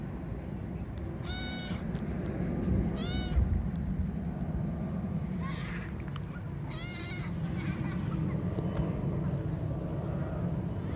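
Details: Hungry stray kitten lost on a hilltop, later given food and water, calling with three clear wavering meows and a fainter one between, against steady low-pitched background noise.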